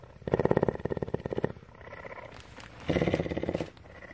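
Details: A captive female cougar (mountain lion) at a rescue centre in Bridgeport, Texas, purrs in two rhythmic bursts, a low, rapid rumbling pulse broken by a brief pause.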